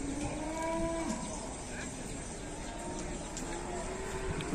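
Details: Cattle being unloaded from a truck at a market: a low, drawn-out moo lasting about a second with steady harmonics, then fainter lowing, over constant crowd and engine noise.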